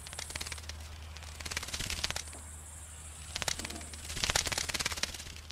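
A bat's echolocation as sharp dry clicks, coming in uneven bursts that speed into rattling runs.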